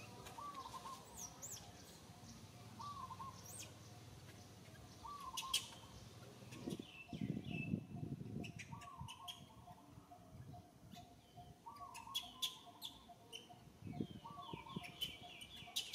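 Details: Little monkey Santo, an infant, cries to its mother Sara asking for milk: short, thin, whining notes with a slight rise and fall, repeated every one to two seconds, amid sharp clicks, rustling and a soft low rumble.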